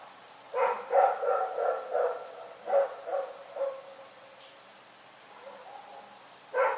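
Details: Rex the dog barks at night in uneven bursts, a quick string of rough barks, a pause with faint noise, then one more loud bark at the end.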